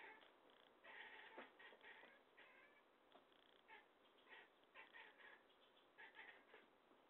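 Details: Chattering domestic cat, described as talkative, producing a run of short and medium meows and chirps in quick irregular succession, some overlapping, with a faint background hiss.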